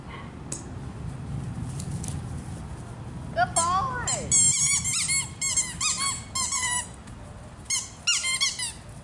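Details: Excited play barking from Naples, a rescued foster pup chasing a ball beside another dog: a long run of shrill, squeaky yips in uneven clusters over five seconds, with human speech beforehand in a small room.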